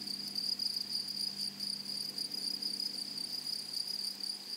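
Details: Grasshoppers of a flowery meadow give a steady, piercing high trill with slight pulsing, accompanied by a faint low hum.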